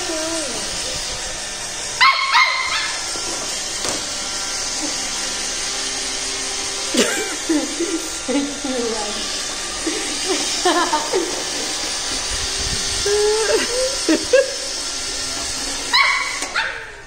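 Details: A young Pembroke Welsh Corgi puppy gives short, high yips and whiny barks over a steady mechanical whir as it fights a robot vacuum.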